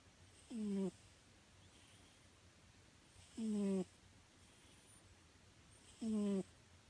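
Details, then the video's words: Pet cat Nyankichi snoring while fast asleep indoors: three clear tonal, falling, whistly snore sounds with stacked harmonics, about one every three seconds, with quiet breathing between and a faint hiss in the background. "猫のいびき Snoring of the cat"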